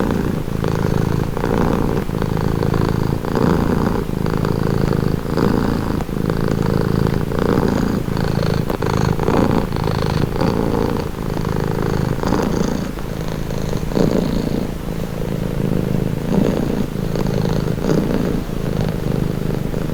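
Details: Long, soothing purr of a domestic cat, low and thrumming, with regular inhale-exhale pulses about every one to two seconds and a steady, close, even level throughout.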